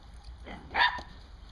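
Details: Dog barking while herding squirrels, recorded October 20, 2014: a single sharp, bright bark rising out of a quiet outdoor background, with a faint softer lead-in just before it.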